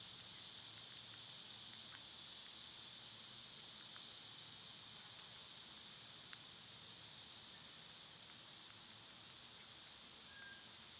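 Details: A wall of summer cicada sound, a constant bright, sizzling buzz with no pauses, joined by faint scattered ticks and one short whistle near the end.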